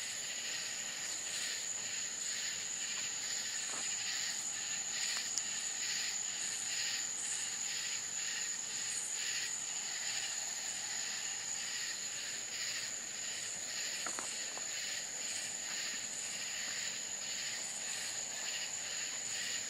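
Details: Night-time crickets in rural Florida, a continuous shrill whine holding steady under layered pulsing chirps repeated roughly once a second, with a couple of faint soft taps in the background.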